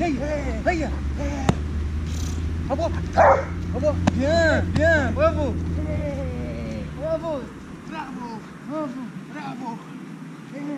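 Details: Heusty, a 10-month-old Dobermann in training, gives a run of short, arched, high-pitched whining yelps, several per second for most of ten seconds, easing toward the end, over a steady low hum.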